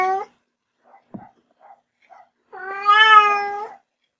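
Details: Household kitten giving one long, level meow of just over a second, preceded by the tail of an earlier call and a few faint clicks and taps in a quiet room.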